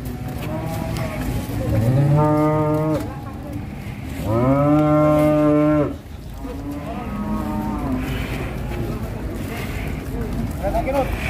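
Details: Agitated female cow from an Indonesian cattle farm, described as raging like a bullfighting bull, gives two long, loud, harmonically rich moos of about one and a half seconds each, separated by a short pause, over a steady low background hum.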